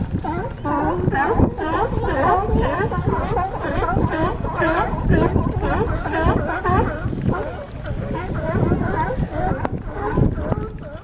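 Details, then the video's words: California sea lions on a harbor dock at Crescent City, California, give a dense chorus of overlapping harsh, honking barks that run without pause, with many animals calling at once. "California Sea Lions"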